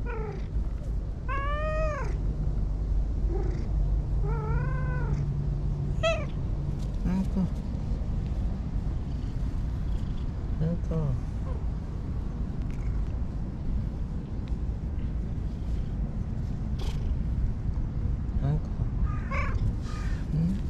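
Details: Brown-and-white stray cat living by a lake in Japan, meowing repeatedly with rising-falling drawn-out cries early on, then shorter fainter mews; steady low hum and a person's voice in the background.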